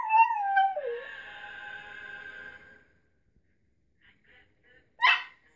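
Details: A pet dog sings along to a Mad Child song, starting with a falling howl that drops in pitch, then a long steady wail lasting about two seconds, silence, and a final brief sharp yelp.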